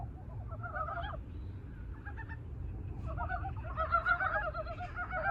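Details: Love song of Korean brown frogs just out of hibernation: a few brief pulsed croaks early on, then a denser stretch of overlapping throaty clucking calls from several frogs over a constant low background hum.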